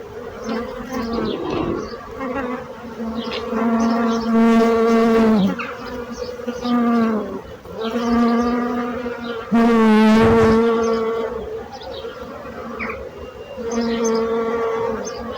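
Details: Bees buzzing loudly: several close passes, each a rich droning hum that swells, dips in pitch and fades, about every five seconds.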